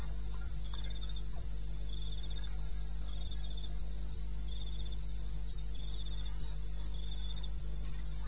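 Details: Wild crickets in the wilderness of eastern Botswana at 2:30 am on 21 May 2016: overlapping high pulsed chirps at two pitches, repeated in quick regular bursts, over a steady low hum.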